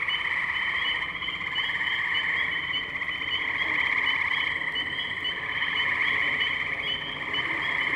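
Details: Tree frogs in a dense chorus at the Firestone Park wetlands, Columbiana, Ohio, on 6 May 2023, captured with a Zoom H2n; overlapping pulsed trills form steady layered bands, with no pauses over eight seconds.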